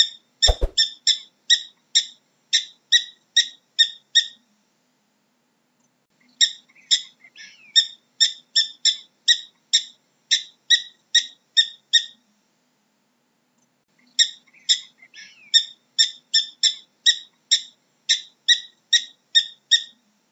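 A prairie dog gives bright, sharp chirps in rapid bouts, each run lasting a few seconds.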